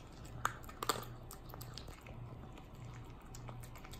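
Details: A four-month-old male long-coat chocolate-and-tan Chihuahua puppy eagerly eats dog food mixed with puppy milk and flakes, with sharp crunches and wet clicks over a low, steady hum, followed by a big burp.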